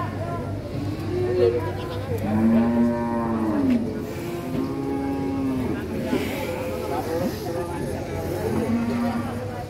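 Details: Raging cattle let loose from a truck: several drawn-out moos, some rising slightly then falling, repeated every couple of seconds, over a low hum and background chatter of people.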